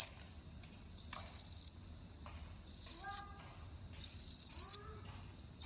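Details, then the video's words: Bell cricket on an autumn night repeating high, pulsed ringing trills about every one and a half seconds, with faint short rising whistled tones in the background between phrases. "鈴虫の鳴き声 秋の夜"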